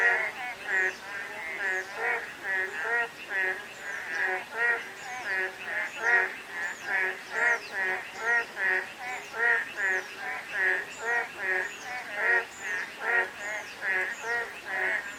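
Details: Sustained frog chorus during a light drizzle: dense, nasal croaks pulsing steadily for the whole stretch, many callers overlapping in a rolling rhythm, steady rain hiss beneath and sporadic faint high down-slurred whistles.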